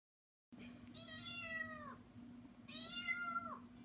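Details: Domestic cat giving two drawn-out meows, each harmonic-rich and falling in pitch at the end, about two seconds apart, over a steady low indoor hum.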